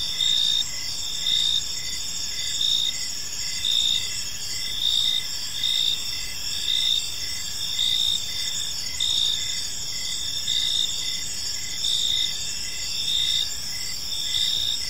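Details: Crickets chirping on an evening in a peaceful park: a dense, high, shimmering insect chorus with pulses swelling roughly once a second over a steady hiss, no other animals or voices standing out.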